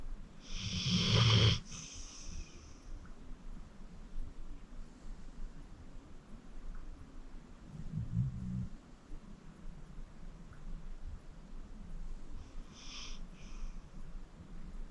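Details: Acorn, a 14-year-old rescued senior pit bull and deep sleeper, snoring while asleep: a loud rasping breath burst early on, a low rumbling snore midway, and a softer raspy breath near the end, in a quiet room.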